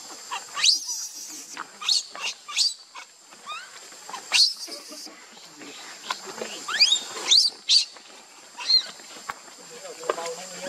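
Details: Baby monkey Lucie, angry with her mother Luna, crying in a seizure-like fit: shrill high-pitched squeals and screeches in rapid irregular bursts, some rising or falling sharply, with a steady high electronic whine in the background.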